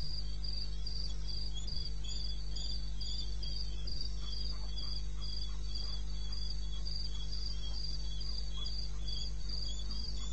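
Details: Wild crickets at night in eastern Botswana, 21 May, 2:30 am: a regular stream of shrill pulsed chirps, about four per second, from overlapping callers, set against an unbroken low humming noise.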